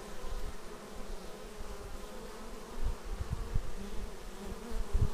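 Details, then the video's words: Bees flying in to their hive, recorded with a Xiaomi Yi action camera: a soft, continuous wing hum with faint banded tones, briefly swelling as single insects pass close. "Bees arriving at hive"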